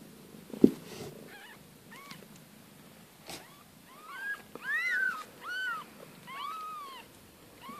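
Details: Litter of Siberian kittens from the cats Kate and Bessie, growing and round-bellied, giving a run of high, thin arched mews, several overlapping in quick succession after a soft thump and rustling early on.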